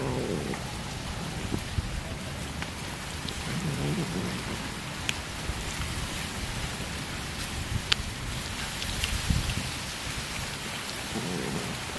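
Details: Steady rain falls on a surface, with low thunder rumbles and scattered sharp drips, and no animal calls.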